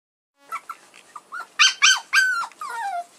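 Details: Puppies whimpering and yipping in a quick run of short, high squeaks that grow louder into several longer, whiny, downward-sliding cries within three seconds, in a quiet setting.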